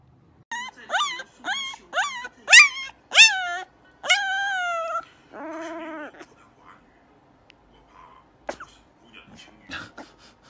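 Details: Puppy howling for the first time, discovering its voice: a quick run of short, rising yelps, then one longer drawn-out howl and a lower wavering note, with faint scattered yips and noises afterward.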